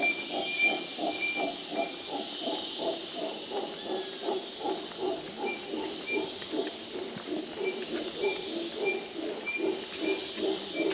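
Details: Distant howler monkeys at Mistico Hanging Bridges Park, La Fortuna, Costa Rica, heard near the hummingbird garden at the start of the hike, roar in a low, breathy, pulsing chorus of about three throbs a second over a steady high hiss.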